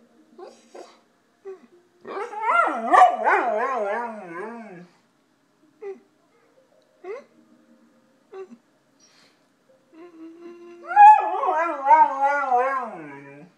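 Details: Golden retriever howling like a person talking: short whines at first, then a long wobbling howl with rapid pitch waves, a few brief yips, and a second sustained wavering howl toward the end.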